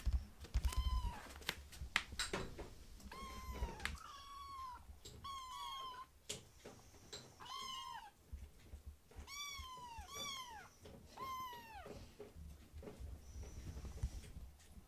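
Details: Two young rescued foster kittens, Ashiro and Akuro, crowd a man's feet indoors at mealtime begging for food, giving a chorus of about a dozen high, arching meows, often in quick pairs, over soft thumps and clatter.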